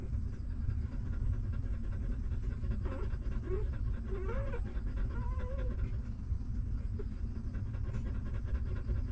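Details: Newborn puppies of a stray mother dog, hungry and sucking milk while she nurses them: a few short, thin rising-and-falling whimpers around the middle, over steady low rumbling, soft clicking suckling noise.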